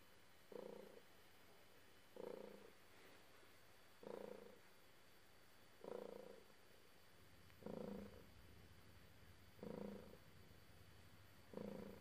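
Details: Cat purring steadily as it is petted, a low buzzy rumble swelling in seven regular pulses, one about every two seconds, each breath-like surge fading back to a soft hum.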